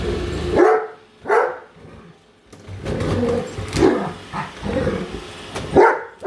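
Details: Great Dane, a female pet dog, barking at a robot vacuum indoors, following it around; loud harmonic barks near 0.6, 1.3, 3.8 and 5.8 seconds, with a steady whirring machine hum between them.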